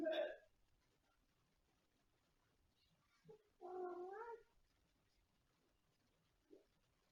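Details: Domestic cat meowing indoors: one drawn-out, tonal meow that rises and then falls in pitch, lasting under a second, with a short clipped sound at the start and a brief faint chirp near the end over a quiet room.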